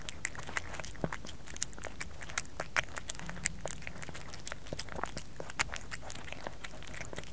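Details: Kerry the cat chewing food indoors, captured close for ASMR; moist clicking bites and crunches at an irregular pace over a faint low hum.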